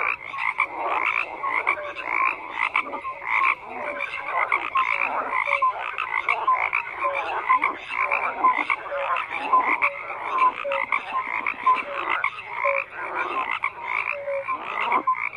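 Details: Frog chorus with numerous callers croaking at once, rapid rattling pulses and short whistled notes overlapping in a constant, uneven throb that swells and dips every second or so.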